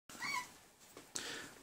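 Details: Tri-colored male Pembroke Welsh Corgi puppy from Maid Marian's 2019 litter, being handled indoors, gives a brief high whining squeal with clear overtones, followed by a soft scuffle and a sharp rustling noise.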